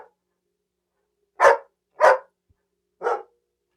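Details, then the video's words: Dog barking: three short, harsh, loud barks spaced about half a second to a second apart, with silence in between and no other sounds. "Sonido de Perro Ladrando"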